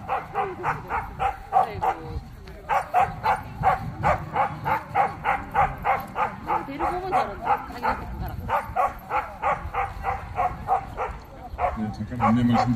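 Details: Jindo dogs at the Korea Jindo Dog Association's 67th championship show bark nonstop, a fast, fairly even train of short, punchy barks roughly three per second, with chatter in the background.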